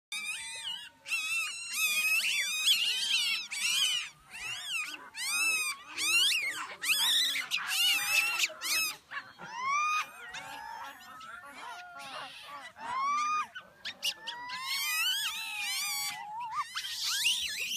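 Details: A troop of geladas at Chenek campsite in Ethiopia's Simien Mountains gives overlapping high, tonal cries that swoop up and down in quick succession.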